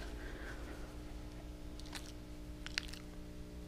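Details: Quiet indoor room hum with a few soft clicks and a brief tap; no animal voice is heard.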